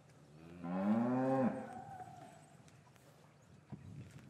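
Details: Gentle lowing from cows in an English cattle yard on a winter's afternoon, with the calves separated from their mothers. A single rich moo lasts about a second, swelling then dropping off, followed by quiet yard noise and a faint knock.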